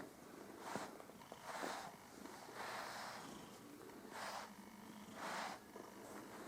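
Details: Püppi, a pet cat, purring as her fur is groomed; soft breathy purr cycles recur about every second, somewhat quieter and less regular, with faint rustling between them.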